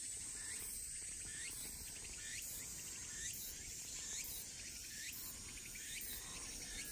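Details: Tsukutsukuboshi cicadas sing on the afternoon of 23 August around 15:09 in Shikokuchuo, Japan, where they are the dominant singers. Short, hooked, chirping notes repeat about twice a second over a steady, high, hissing insect drone.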